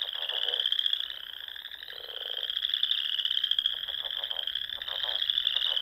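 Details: Frog chorus from Nebraska's Sandhills on a spring evening, a steady high pulsing trill from many callers, with a lower buzzy rattle near the two-second mark and clicking bursts later.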